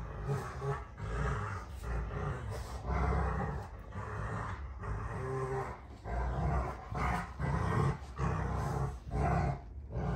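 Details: Two Rottweilers, June and Kenai, play fighting on a ranch homestead; deep rumbling growls come in uneven bursts with short breaks, rough low grumbles rising and falling across the stretch.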